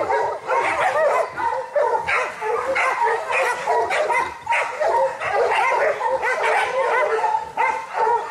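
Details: Kishu dogs in boar-hunting training in Japan, 2010: young Kishu alongside Joe, Takeshi, Rin, Momo and local dogs. Many dogs bark and bay together in pulsing bursts, with shrill yips and short pauses between waves.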